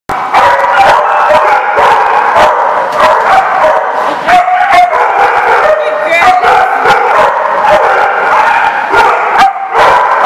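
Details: Several dogs at The Barking Lot, recorded 4/10/14, bark loudly and almost without pause, sharp overlapping barks and yips piling into a dense, continuous din.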